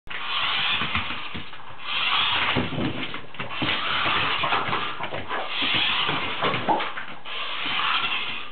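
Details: A Boston Terrier facing a radio-controlled car barks and huffs in harsh, broadband bursts about every two seconds, over the car's continuous buzzing motor whir.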